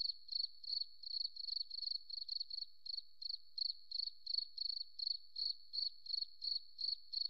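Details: Continuous cricket song in a forest: bright, high chirps repeated rapidly in short buzzing pulses, almost three per second, the rhythm steady throughout with a faint underlying tone.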